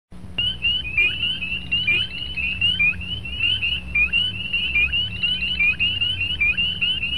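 A chorus of spring peepers gives high, clear, rising peeps, overlapping almost without pause.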